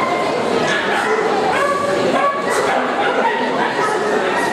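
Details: Yorkshire Terriers at the Montluçon CACIB dog show, France, March 2016: a few quick yipping barks rise above dense background conversation in a busy, echoing exhibition hall.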